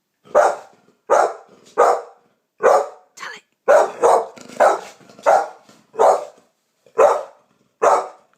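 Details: Champagne American Pit Bull Terrier named Honey reacting to a strange noise with a run of about a dozen sharp, loud barks at an uneven pace, some doubled, one short softer yip midway, little else audible.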